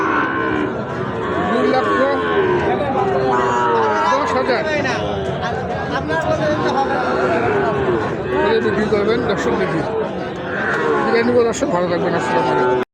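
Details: Sahiwal bull calves suited for rearing at the Ambari haat livestock market, held Fridays and Mondays; low drawn-out moos rise and fall amid steady crowd chatter and bargaining voices.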